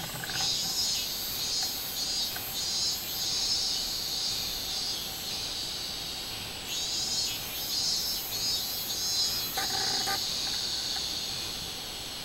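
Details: On 24 July 2016 a robust cicada gives a high, throbbing buzz in repeated swells, with a short lower clatter near ten seconds and a persistent background insect drone.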